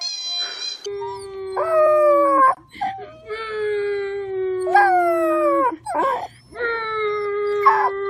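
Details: Puppy howling in long, steady, moderately low tones held about two seconds each, with higher wavering yelps breaking in between and a faint low hum underneath.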